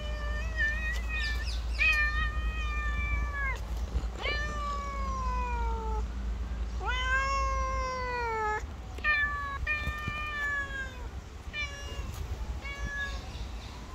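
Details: Stray black cat with gorgeous green eyes calling in a run of loud, clear meows, several long and falling in pitch, others short and quick, about three per second at times, against low background hum.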